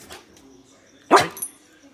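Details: Female blue heeler (Australian Cattle Dog) performing tricks indoors, barking on the command "speak": a single short, sharp, loud bark midway, with spoken commands before and after.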